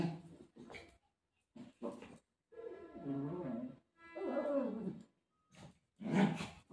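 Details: Golden retriever, described as desperate to find its owner while playing with her, gives drawn-out, wavering moaning calls with rich overtones, two long bends lasting about a second each, framed by short grunting bursts and brief silences.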